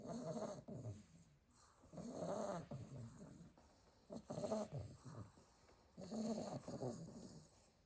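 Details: Staffordshire Bull Terrier puppies, eight littermates asleep in a pile; one gives rhythmic rasping snores, each swelling for about a second, about every two seconds, softer breathing in the gaps.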